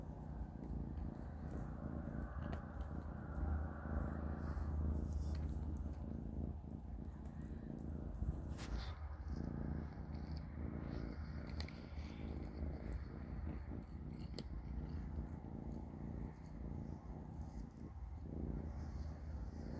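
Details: Kittens Panda, Grayie and Goldie eating cat food at dinner: a low, steady rumbling purr runs throughout, with scattered faint clicks and crunches from chewing.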